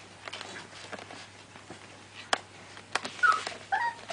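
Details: American Staffordshire Terrier puppies of the F5 litter at the Guardian Team FCI kennel, sired by SMILING WILL Escort out of VICKY Sentinel; soft rustling and a few sharp clicks, then brief high thin whimpers in the last second.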